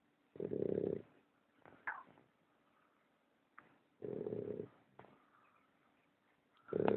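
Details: Young male American Bulldog puppy asleep and snoring very loudly. Deep, rasping snores of under a second arrive roughly every three seconds, with short snorts and soft wheezy breaths between them.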